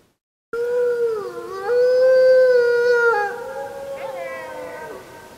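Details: Gray wolf (Canis lupus) gives a long, steady howl that dips, then holds level before falling away, on a full-moon night, 31 July 2015.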